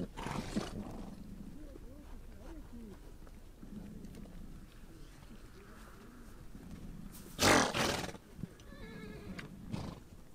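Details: Horses out on the Mongolian steppe give a sharp, loud breathy snort, with low wavering grunts before it and a brief high harmonic whinny afterward over a steady low murmur.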